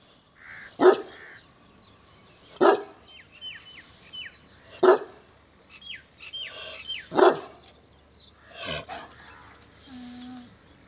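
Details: Big Pakistani bully kutta, a heavy-boned pure pak bully dog in Pakistan, giving four deep single barks spaced about two seconds apart, followed by a fainter bark, with faint chirping birds and a brief tone in the background.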